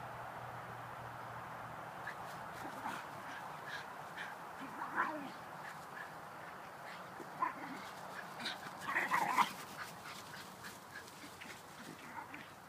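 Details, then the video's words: Shiba Inus Rebel and Videl horsing around in the backyard, trading scattered grumbles and brief yips amid scuffling noises, with a louder flurry of growling toward the end against a steady outdoor hum. "Shiba Backyard Wrestling: Rebel vs. Videl"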